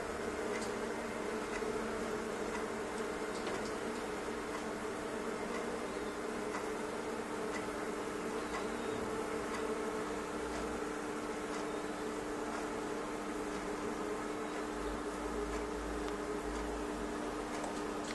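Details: A mass of thousands of honey bees invading a fireplace stove gives a constant, layered buzzing hum, steady in loudness, with scattered light clicks and knocks against the enclosure.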